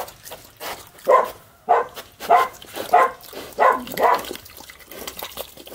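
A piglet gives short, hoarse barks, repeated roughly every half second, over wet slurping sounds.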